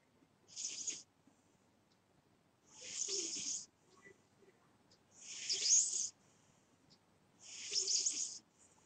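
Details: Sleeping pet cat snoring: four breathy, hissing breaths, each about a second long, coming roughly every two and a half seconds, with quiet pauses between.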